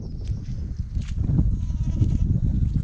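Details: First goat kid born this year, newborn, uttering a thin, drawn-out bleat over about a second and a half, set against steady low rumble and soft rustling.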